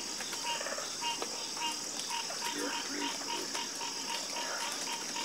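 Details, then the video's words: Frogs croaking in chorus: one caller repeats a clipped, evenly spaced note, others answer with rougher croaks, all under a constant shrill insect hum. "Calming Sound Of Harmonious Frog Croaking"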